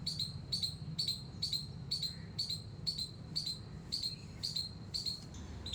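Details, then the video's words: Squirrel squeaking steadily in a garden on a terrace: a dozen high, sharp chip notes at a brisk, fairly even pace, each punchy and short, with a constant low hum underneath. "squirrel's squeak squeak sound"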